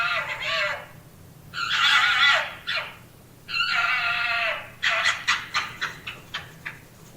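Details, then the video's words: An urban red fox gives three long, harsh, raspy screams, then a run of short barks that fade. "Urban Fox Cal Sound Effect"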